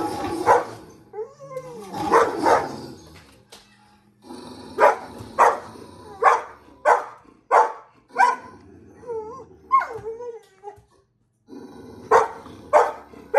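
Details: Pet dog barking at a screen, giving a series of short, sharp barks spaced under a second apart, mixed with a few higher whining yelps with bending pitch, and brief pauses between bursts.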